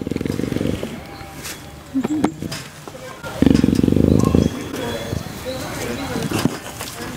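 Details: A critically endangered Amur leopard gives two deep, rough, pulsing growls while a person nearby softly calls it "pretty lady."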